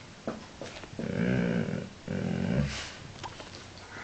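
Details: Pet dog named Woods indoors, coaxed to talk and say what he wants to eat at teatime: two drawn-out, moaning groan-like vocalizations of about a second each, with short sniffs or sneezes between and a person's voice nearby.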